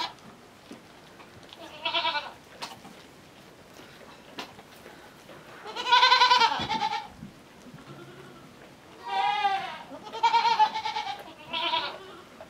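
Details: Tiny miniature goat kid heading to her mother to suckle, after being kept warm indoors; scattered wavering bleats, some long and loud, with soft rustling and faint background noise between them.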